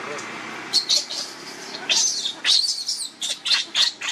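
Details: Baby monkey with its mother Luna: sharp, high squeaky bursts in quick uneven clusters, several short shrill cries following one another over a few seconds, with a faint background hiss.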